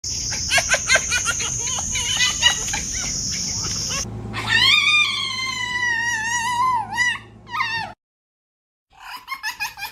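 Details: Fox. A fox makes high, strained calls: first rapid chattering yelps over a steady hiss, then long wavering whines that fall and break. After a short silence the yelps return, and a person speaks nearby.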